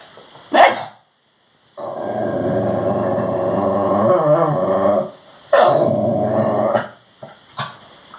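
A Labradoodle begs for dinner with drawn-out, wavering groans and whines between short sharp yelps.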